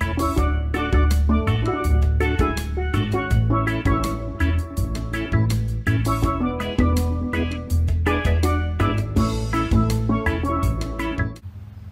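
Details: Upbeat percussive music with steelpan-like notes and drums throughout, fading out at the end, and no animal sound.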